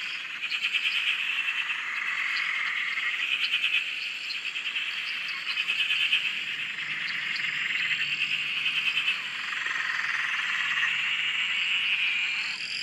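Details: Frogs calling together at a dam in Australia: a continuous high shimmering chorus of overlapping trills and peeps, with softer swells of pulsed notes and no single caller standing out.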